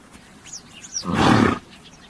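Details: A single noisy, breathy snort from a horse, about half a second long and rough-textured, set against faint chirping birds in a quiet outdoor setting.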